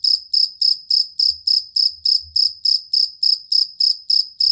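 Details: Cricket (jangkrik kalung or fighting cricket) used as a master sound for training competition songbirds: high, ringing pulsed chirps repeated steadily about three and a half times per second, with faint low rumbles beneath.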